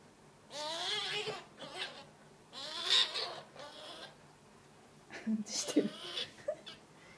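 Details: Three-month-old male Path Valley ferret kit, a pet, giving baby calls: wavering, quavering squeals that rise and fall in short bursts, with brief pauses between and a few sharp squeaks near the end.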